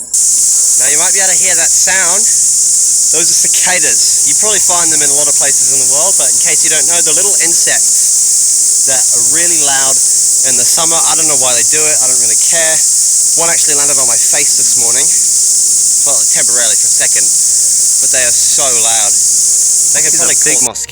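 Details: A steady, high, hissing cicada chorus rings without pause beneath a man talking, in forest on Mt Kapakapanui, New Zealand, on a cloudy day with sun breaking through; cicada.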